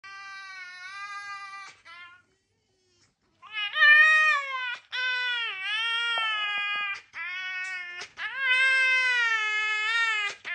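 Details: Red fox 'singing': long, wavering, high whining tones rich in overtones, rising and falling in pitch, in several drawn-out phrases separated by brief pauses, with a short silence early on.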